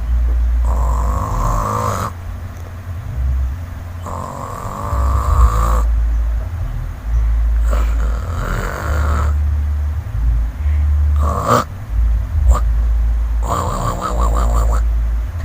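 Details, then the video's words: Sleeping village cat snoring: deep, rumbling low breaths alternating in long strokes about every two seconds, with brief higher wheezy bursts near the end. "SUARA NGOROK KUCING KAMPUNG"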